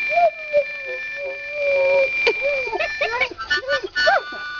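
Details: Fido, a half-mastiff, half-rottweiler dog, sings along to a harmonica: a long, wavering mid-pitched howl holds steady for two seconds, then breaks into shorter rising and falling yodels while sustained harmonica chords play beneath.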